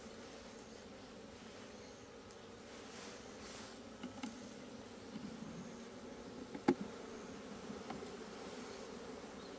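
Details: Asian honey bees in an opened hive as its comb is dug out, 26 September 2023; a steady low droning hum holds throughout, with a sharp click near the end and faint scraping.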